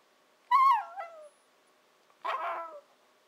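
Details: Shiba Inu puppy Nanako at 14-15 weeks 'talks' to her owners, often meaning she wants her breakfast or dinner; two drawn-out yodelling whines, the first wobbling and dropping in pitch, the second rougher and falling, with silence between.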